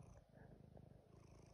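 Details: Domestic male cat purring steadily during a cuddle on a rainy day at home, a low continuous rumbling pulse with regular rhythmic throbs; a woman talks and sings softly nearby.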